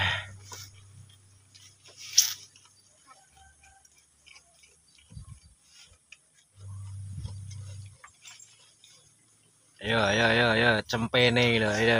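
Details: Goat feeding on leafy browse fodder in a village: after quiet chewing noises and a few low words, a loud wavering, quavering bleat rich in harmonics fills the last two seconds, broken by brief clicks.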